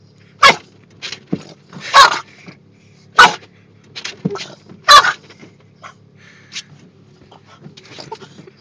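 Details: A Boston Terrier in Oklahoma goes into attack mode at moving windshield wipers, letting out sharp, explosive barks at irregular intervals, with softer huffs and growls between.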